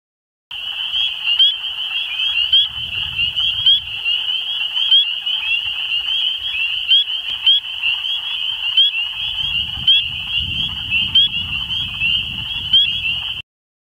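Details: At Queen's University Biological Station in 2014, a dense chorus of Spring peepers (Pseudacris crucifer) gives shrill high peeps merging into a continuous ringing trill.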